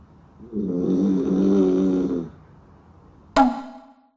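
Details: Sixteen-year-old dachshund-poodle mix Kokomaro snores while sleeping; a drawn-out, rumbling, tonal snore of nearly two seconds swells and fades, followed by a short sharp snort-like sound.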